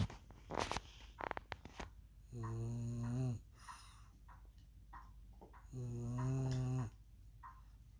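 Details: A female French Bulldog sleeping on a couch, tired after a day of rough play, snores with deep, buzzy, rattling inhalations about a second long, every few seconds, with quiet rustling and clicks between.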